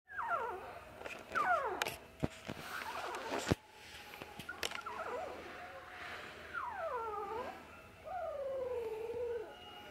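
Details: Shih Tzu sibling dogs at a pet shop give high, drawn-out whines that slide downward, with a few sharp knocks between them.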